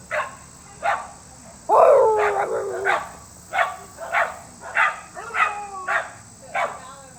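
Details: Beagle baying: one long, drawn-out bawling howl near the start, followed by a series of shorter, evenly spaced yelping bays, with a constant high-pitched whine behind.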